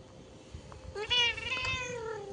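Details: A pet cat sitting and looking outside gives one drawn-out meow, rising then slowly falling, with strong stacked harmonics lasting over a second, over a quiet indoor background.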